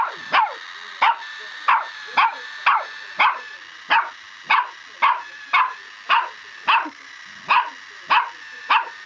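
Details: Mavis, a puppy, barking at a Scholl pedicure roller she dislikes: sharp high yapping barks in a fast, uneven string of about sixteen across nine seconds, each bark a bright harmonic burst.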